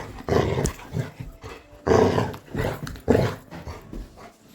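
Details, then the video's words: Pet Labrador Retriever indoors, growling to intimidate its owner, who tells it in Bengali to go away; rough, low grumbling bursts, three louder surges about a second apart, mixed with a person speaking. "Coco kitna darata hai"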